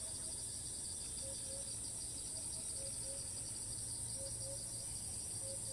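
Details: Cicada in Thailand that keeps moving between perches and resumes calling as soon as it lands, filmed from a distance. A steady, unbroken high-pitched shrill drone with a second lower band, and short low piping notes repeating in the background.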